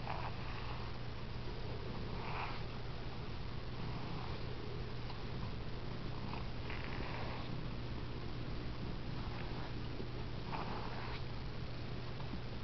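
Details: Squirty, a pet cat with a bossy, funny personality, indoors in a small room while being brushed; steady low purring runs throughout, with soft breathy bursts recurring every second or two and a constant low electrical hum.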